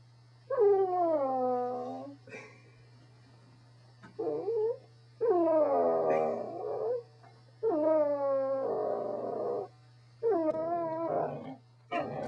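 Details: A Corgi 'talking': drawn-out, wavering howl-whines with rich harmonics, each sliding down then up, in four bouts about two seconds long separated by short pauses, over a steady low hum.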